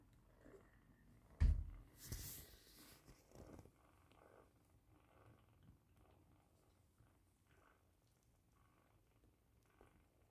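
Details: British Shorthair kittens, five of them with their mother Roxy, purring while feeding indoors on 15 August 2021: a soft, low, steady rumble under a few louder thumps and rustles early on, then quiet continuous purring.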